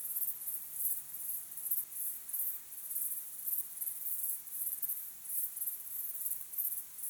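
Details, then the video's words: Evening crickets at sunset, recorded naturally: thin, high-pitched chirping in rhythmic bursts roughly every half second, a continuous insect chorus with nothing else standing out. "crickets chirping sound"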